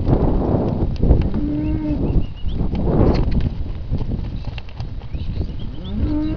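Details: Hereford and Hereford x Limousin calves, part of a polled sale lot of 54 born in winter 2012, calling. Two clear level moos, one early and one at the end, over loud rustling and trampling of the herd.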